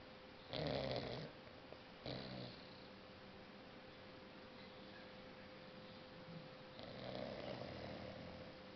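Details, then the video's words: Six-month-old Boxer Maya, dreaming in deep sleep on a couch, gives two short harsh snorting snores close together, then a softer drawn-out snore after a quiet pause, over a low indoor hum. "Snoring Boxer Maya"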